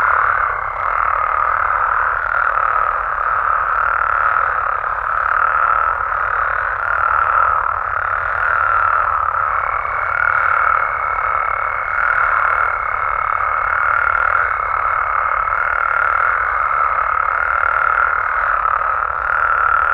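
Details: Night chorus of frogs and toads in Mexican amphibian habitat, countless overlapping calls pulsing gently in an unending drone, a sustained higher tone appearing midway.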